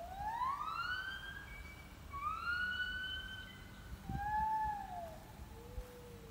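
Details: On 18 January 2021, a gibbon on the hill behind a house calls with clear, siren-like whoops sweeping steeply upward then levelling off, later notes arching and dropping lower, over faint hiss.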